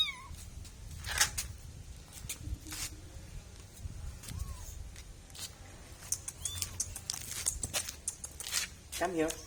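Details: Kitten letting out several small, thin meows spaced over several seconds, the last a quick wavering cry, mixed with clattering, sharp knocks and a voice calling it nearby.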